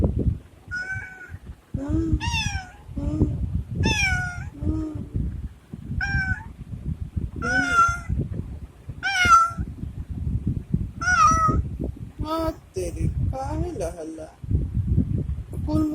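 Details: Domestic cat meowing repeatedly in a sweet voice, about a dozen clear, bright meows, most rising then falling, roughly one each second, with a woman speaking tenderly in Hindi in the background.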